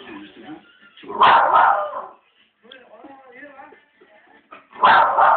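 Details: Family dog barking at other dogs appearing on a TV program; two loud, harsh barks about four seconds apart, with television speech murmuring in between.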